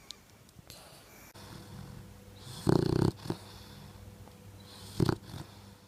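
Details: Sleeping boxer dog snoring heavily, a long rough snore followed by a short snort and a second brief snore, with faint rustling in the room.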